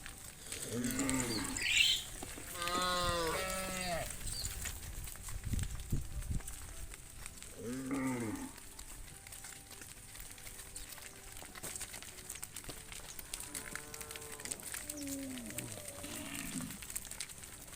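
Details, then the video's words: Tame cattle herd led back to the farm pen at sunset in the cool evening: several deep, drawn-out lowing calls, some rising then falling, spaced irregularly over the clip, with a steady background hiss and quieter calls later. "the sound of the cow Moo Calling the herd back to the farm pen"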